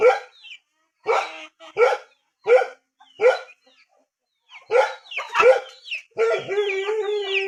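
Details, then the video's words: Rural dog giving a run of short, rough barks spaced unevenly with brief silences, then a cluster of quicker barks, ending with a drawn-out tonal, harmonic sound overlapping the last barks. "Sound of poor dog in rural"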